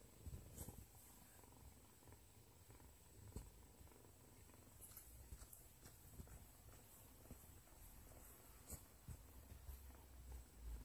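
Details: Kitten playing with a toy: a quiet, low, steady rumbling purr runs through the whole stretch, with faint scattered clicks and soft rustling on top.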